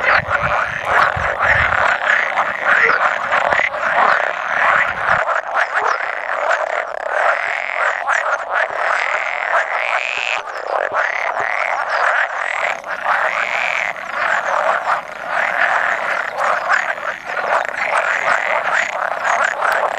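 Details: Male pool frogs, roughly a hundred, call in a loud, unbroken chorus during spawning on 16 May 2017, with an occasional edible frog among them; a thick wall of rattling croaks fills the whole stretch.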